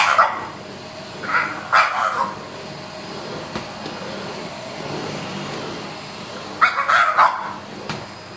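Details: Pet French Bulldog confronting a vacuum cleaner during its usual morning cleaning, giving strained, squeezed-out barks in clusters of two to three near the start and again near the end, with steady vacuum whine underneath.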